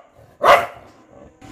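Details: Dog reacting as outsiders enter the house: a single loud, short bark near the start, broadband and harsh, followed by quiet room sound and a brief noise at the end.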